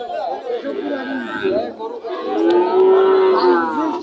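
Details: Calves at the cattle market in Chuknagar, Bangladesh. A drawn-out, slightly rising moo comes through the busy crowd chatter, with overlapping voices and other lowing throughout.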